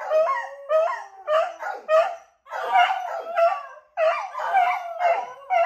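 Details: Household beagles react to an owner going outside for a minute with loud, quavering bays. The cries come in quick bursts about half a second long and sometimes overlap as more than one dog joins.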